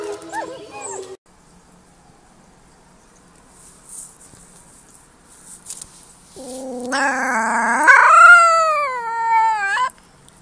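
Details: Baby wolf pup giving a single drawn-out howl that starts low, climbs sharply, then holds a high wavering tone before fading, after several seconds of near silence and a brief low whine at the start.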